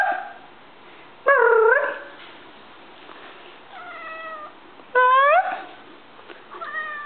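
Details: Female pet cat Stinky, inside a small room, lets out a series of loud, harmonic-rich meows, some sliding upward and others flat and drawn out, separated by brief quiet pauses with faint room noise.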